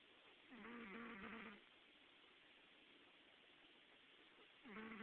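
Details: Gambit, a pet cat, snoring while dreaming in July 2009: two soft, nasal, harmonic breaths about a second long, the second starting near the end, over a steady low hiss.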